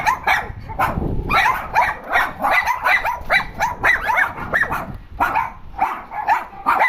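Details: Several dogs complain with a dense stream of overlapping high, whiny yips and barks, bursts rising and falling in pitch, with a low rumbling thump early on.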